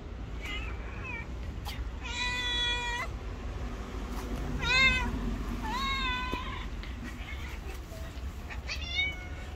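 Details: A very angry white cat keeping everyone away meows five times: long, harmonic-rich wails, some rising and some level, spaced a second or two apart over a low background hum.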